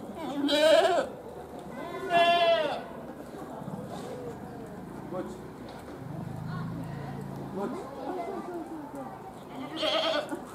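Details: Goats at Tama Zoological Park in Tokyo, Japan, give three wavering, nasal bleats with a quavering tremble. The bleats come several seconds apart, and people talk in the background.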